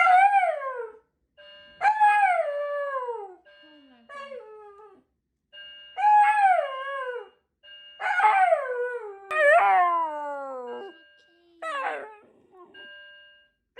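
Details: Shiba Inu repeatedly screaming at a fire alarm: a series of about eight short, sharply falling yelping screams with brief gaps. Some are stacked closely together, and a steady electronic alarm tone sounds between them.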